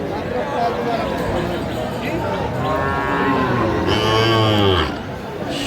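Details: Young Sahiwal bull at a busy cattle market held on a Saturday, 16 March 2025, tied to a Kurigram farmer; a deep, harmonic-rich moo near the end follows talking and crowd noise.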